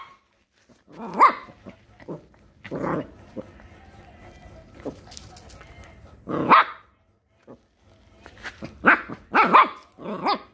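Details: Puppy barking at a crab: sharp, harmonic barks come in irregular bursts, about five over ten seconds, with quiet gaps between, plus faint background noise.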